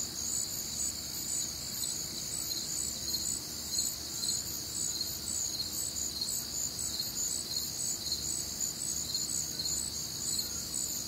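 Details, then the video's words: Many crickets calling together through a warm, humid summer night in the Midwest, their high-pitched pulsed chirps forming a constant shimmering wall of sound with slight rhythmic swells. "Night Time Cricket Sounds"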